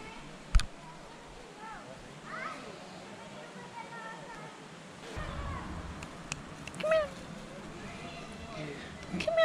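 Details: A hungry street cat in Adjuntas, Puerto Rico, awaiting food from visitors, lets out a couple of brief, bright meows near the end, amid quiet human speech and light outdoor background noise.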